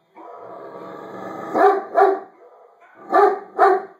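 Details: A Great Dane reacting to dogs barking on a video opens with a drawn-out, harmonic grumble lasting over a second, then gives four loud, deep, booming barks in two quick pairs, each pair about half a second apart.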